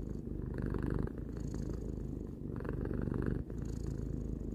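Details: A domestic cat aged three purrs contentedly, low buzzing vibration with two clear breath cycles, brief dips between inhale and exhale, in a quiet indoor setting.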